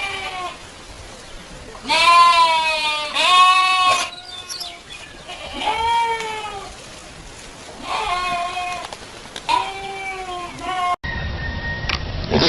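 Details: Goat from a 2015 compilation of funny goat noises: several loud wavering bleats at about two-second intervals, some rising then falling, with people talking in the background near the end.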